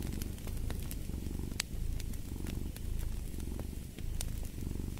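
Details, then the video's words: Cat purring in a close, buzzy rumble that briefly dips in loudness, with wood crackling and popping in a fireplace alongside. "the Purring of a Cat"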